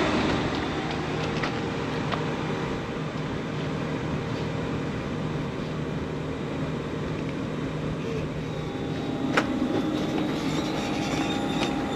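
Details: Steady urban traffic rumble and engine hum fill the outdoor scene, with a faint voice and a brief sharp click near nine seconds.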